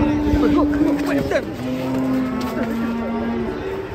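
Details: Cow coming down off a truck in Indonesia, lowing in a long, steady, deep moo followed by a second lower, sustained moo, with a vehicle and faint voices behind.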